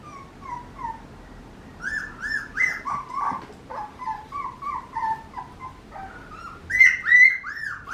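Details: Young Papillon puppy whining in uneven bursts of thin, high, whistle-like notes, some gliding down and some rising, the loudest squeals coming near the end over a faint background hiss.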